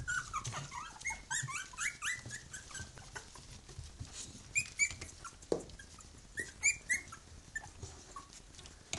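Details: Three-week-old puppies of a litter with their mother, Bhoomi: a busy stream of high, short squeaky whimpers and yelps, many rising then falling, overlapping from several pups, with rustling and shuffling between them.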